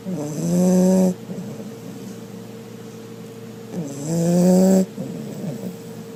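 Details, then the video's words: Sleeping American Pit Bull Terrier snoring loudly: two long, harsh, droning snores about three seconds apart, each lasting close to a second with a steady low buzz and rough overtones, separated by quieter breathing. "Pit Bull Snores Really Loud"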